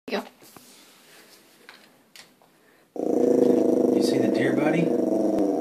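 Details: Puppy named Sterling growling indoors while trying to scare deer outside; a low, rough, steadily pulsing rumble starts abruptly about halfway through and holds to the end, preceded by a person's voice and faint room noises.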